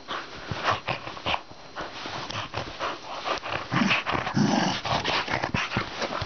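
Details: Pet dogs at play, giving rough growls and snorting huffs in irregular bursts, some louder rumbling stretches near the end, with scuffling noise between them.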